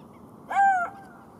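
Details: A lone golden jackal note, smooth and tonal, briefly rising then sliding gently downward, with bright overtones. It lasts under half a second against faint steady background noise.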